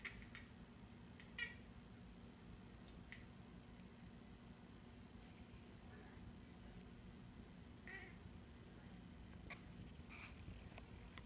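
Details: A domestic cat watching birds outside a kitchen window chatters with short, clipped, bird-call-like chirps and clicks in scattered bursts every second or two. There is a steady low indoor hum.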